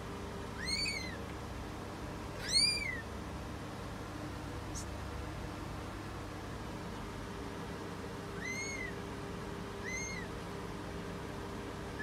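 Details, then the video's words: British Shorthair cat giving birth: two thin, rising-falling mews close together, a long quiet gap with a brief click, then two softer mews near the end, against a steady hum. "CAT GIVING BIRTH. British Shorthair Live Giving Birth."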